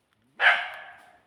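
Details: A domestic dog out foraging with its owner in a hillside forest in the late afternoon near sunset barks excitedly; the owner hopes it has found a rat. A single loud, harsh bark fades quickly.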